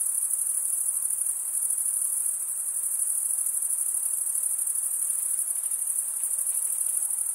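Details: Stridulating male crickets, the scraping of one wing over the teeth of the other giving a constant high, buzzy trill. The trill barely varies in loudness and continues throughout over soft background noise.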